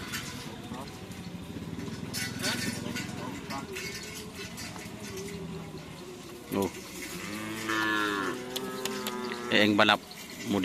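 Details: Javanese cattle at a training session in Pamekasan, Madura, mooing in a drawn-out, wavering harmonic call near the eight-second mark, set against a noisy crowd, speech and clattering sounds.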